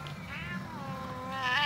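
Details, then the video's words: Domestic cat, angry at a hand waved in front of him, gives quiet, drawn-out wavering meows that dip and then rise at the end, with a low background hum. "coolest angriest cat on the planet"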